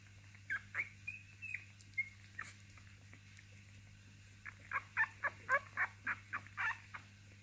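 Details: Basenji puppies of a litter giving short, high squeaks, sparse at first, then a fast run of about a dozen yelps packed close together, over a constant low hum.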